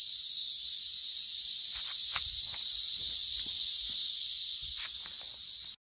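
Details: Loud, plentiful Brood X periodical cicadas emerging in West Virginia, June 2021: an unbroken shrill buzzing roar fills the air, with scattered soft clicks and taps beneath it, cutting off abruptly at the end.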